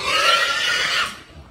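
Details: Berkshire x Pietrain gilt on a hog farm giving one harsh, noisy squeal lasting about a second, rough and broad in tone, then fading away.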